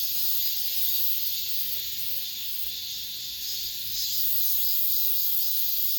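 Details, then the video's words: Cicadas singing in an apartment complex at the end of summer: a dense, steady high-pitched buzzing drone that dips slightly in the middle and swells again toward the end. "올 여름 마지막 매미소리, 아파트 단지 내..."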